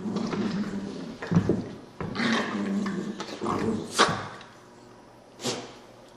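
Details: Playing puppies indoors give throaty growls and grumbles through the first four seconds, broken by sharp knocks and thumps, then quieter scuffling with one more bump near the end.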